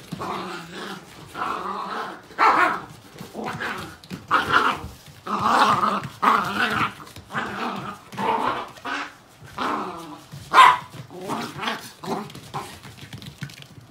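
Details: Puppies in a cute dog compilation; a jumble of small yappy barks and growly yips, repeated irregularly over fourteen seconds, with rough, noisy background.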